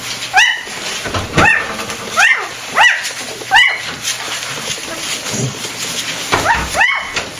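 Week-old Golden Retriever puppies give high, squeaky whines that rise and fall, repeated every second or so.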